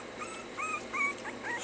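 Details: Whimpering from puppies during stay training: clear, thin, whistle-like whines repeated in quick succession, each bending upward then down, with soft background noise.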